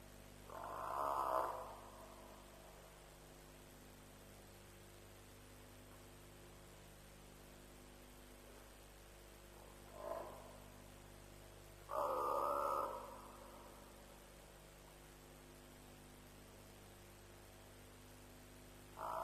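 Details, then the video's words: African buffalo heard around 3:00 am at a lions' kill at Djuma, 07/03/07: a few hoarse, grunting bawls, two longer ones near the start and after twelve seconds, one short one between, over a steady low electrical hum. "Buffalo Sounds - Lions' Kill"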